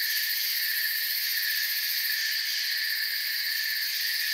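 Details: Forest crickets calling together in a continuous, even, high-pitched trilling wash that holds steady throughout, with no other animals or noises standing out.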